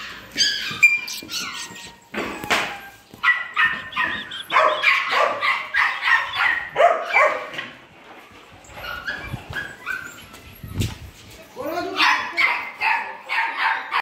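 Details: Imported poodle puppies yip and whine together in a busy, shrill chorus of short clipped cries, a few sharp thuds and a quieter gap midway before the yelping picks up again.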